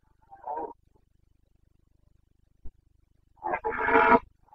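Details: Red deer stag of the Carpathians during the breeding season in Bucovina, Romania, late September 2022. A brief hoarse grunt opens, a soft knock follows in silence, then a long, loud, rasping roar closes.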